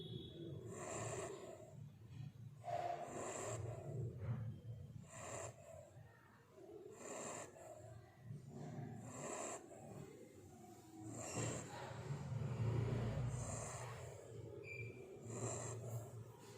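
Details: Sleeping Labrador Retriever puppy snoring softly indoors, a low rumbling breath repeated every couple of seconds with faint airy hiss on each breath.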